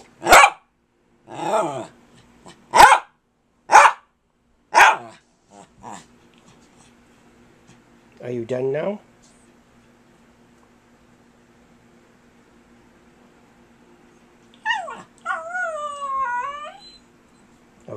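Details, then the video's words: Domestic dog Kirby, determined to say something to his owner, lets out a string of sharp barks and a short grumble, then a long quiet pause before a rising, wavering whine near the end. "Kirby the Wonder Dog Talks to Me"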